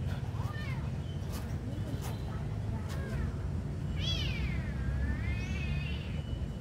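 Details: Hungry kitten at feeding time calls with a faint early meow, then a long wavering drawn-out meow rising and falling near the end, set against constant low vehicle rumble.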